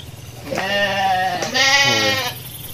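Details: In a flock of hundreds of sheep walking leisurely to the pen after the midday meal, two wavering, nasal bleats follow one another, the second higher and brighter than the first.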